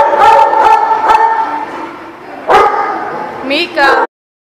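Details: Dog at The Barking Lot, recorded 3/19/18, giving a run of tonal, whining barks that trail into a sustained whine, then a single sharp bark and a short rising yelp before cutting off.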